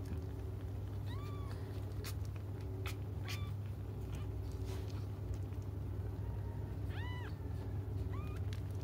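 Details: Cats crying while they wait for their mother to come back: a handful of short, rising-then-falling mews, thin and high, spaced irregularly over about nine seconds above a steady low hum.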